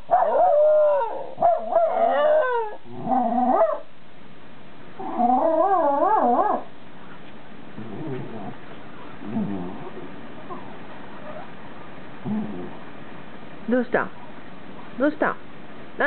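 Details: Two dogs, a white Shiba Inu and a Jack Russell Terrier, howl together in the evening (6 PM, 20 July 2018) in long, wavering, harmonic tones, then fade to softer whines and brief yips.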